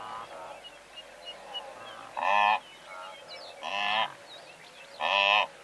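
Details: Herd of several hundred blue wildebeest with larks and braying zebra nearby; three loud nasal honks spaced about one and a half seconds apart over a steady bed of quieter calls and thin bird chirps.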